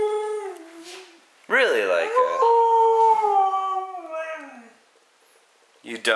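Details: A female Siberian husky lying on a coffee table indoors answers her owner's questions with drawn-out, wavering howls that bend up and down in pitch, as if talking back.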